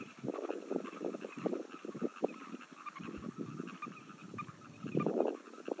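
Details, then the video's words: A frog chorus from 17 June 2022: dense, overlapping rough croaks pulse irregularly several times per second throughout, swelling louder near the end, above a faint continuous higher hum. "frogs sounds"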